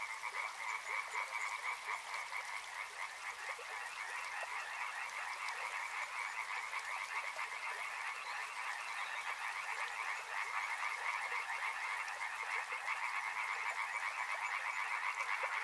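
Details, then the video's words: Frogs calling by a river, a dense chorus of many overlapping croaks pulsing rapidly and without pause, with a steady bright hiss that may be flowing water. "Frog Sounds | Soothing sounds of river and frogs"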